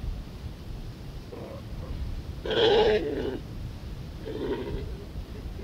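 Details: Galapagos sea lion bull on Indefatigable Island in the Galapagos Islands, giving a few short, hoarse grunts spaced over several seconds, one louder bleating grunt in the middle, with the sea washing steadily in the background.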